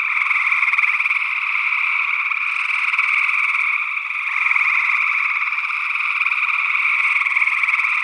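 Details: Early June 2022 chorus of gray tree frogs in Northwest Wisconsin, recorded through sE8 small diaphragm condensers in ORTF; many callers trill at once, merging into a continuous buzzing drone that swells slightly midway.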